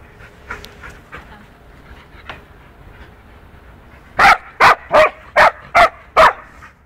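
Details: Punky, a two-year-old poodle, roughly playing with a four-month-old wolfdog puppy. Quiet scuffling, then six loud, sharp barks fired off evenly in rapid succession, roughly two and a half per second.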